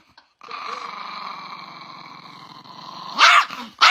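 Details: Chihuahua puppy giving a long, steady, buzzy growl for nearly three seconds, then two sharp, loud barks at the end.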